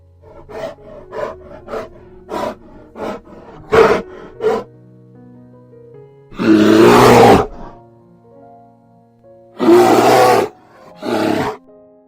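A bear gives harsh, rasping roars in three loud bursts over soft background music.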